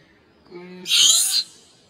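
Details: Jooy, a pet monkey said to need its daddy to take care of it all the time, screaming loudly: one harsh, high, noisy shriek about half a second long, after a brief low murmur of a human voice.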